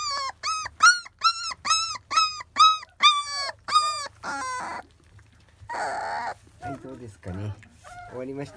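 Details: Whining from 25-day-old Labrador Retriever puppies eating their first weaning food opens with evenly spaced arched whimpers, then breaks into a noisy squeal and scattered lower yips.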